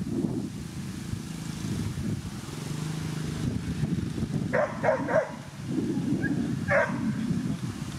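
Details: Whippet Vasuru Taffi's Barcelona at the Twin Cup 2017 in Latvia; a quick cluster of three sharp, short barks midway, then one more bark a second later, over a steady low rumble of engine-like background noise.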